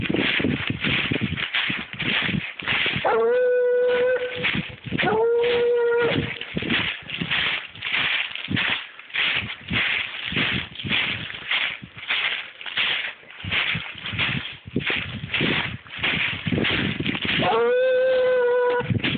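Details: A 7-year-old Treeing Walker Coonhound trailing dog gives three long steady bawls, two close together early and one near the end, amid heavy rapid choppy barking and noise throughout.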